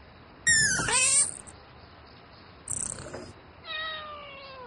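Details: Domestic cat calling for a mate at night: one loud, harmonic meow sliding downward, a short high squeak, then a steadier, lower drawn-out meow fading away over soft background noise.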